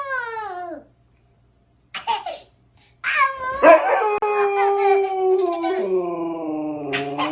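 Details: Dog howling in response to a baby's howling: a falling tonal wail, a short pause, then long drawn-out overlapping howls that hold steady and step down in pitch, with a baby's voice mixed in.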